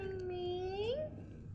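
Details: Pet cat named Ming Ming giving a single drawn-out meow, level at first and then rising sharply before it stops, with quiet room noise afterward.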